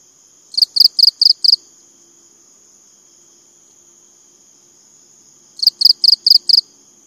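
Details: Cricket chirping: two bursts of five sharp, high pulses, about five seconds apart. A steady, thin, high-pitched whine runs underneath.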